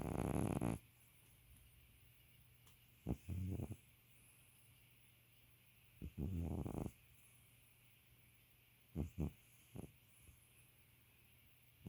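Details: Old West Highland White Terrier asleep and snoring: a loud burst at the start, then low rumbling snores in separate bouts of about half a second to a second, with quiet gaps and a steady background hiss.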